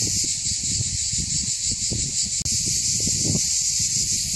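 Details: A chorus of cicadas on Mont Saint Martin, Cap d'Agde, France, around 13:05 on 24 June 2015, makes an unbroken, very loud, high-pitched sizzling drone that never pauses, with soft low rumbling and rustling beneath.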